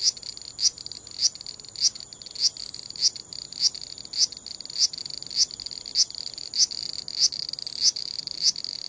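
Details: Large brown cicada, described as moving about while it calls, filmed with a compact digital camera: a rasping 'gii-gii' pattern of loud metallic pulses about twice per second, regular throughout, nothing else audible.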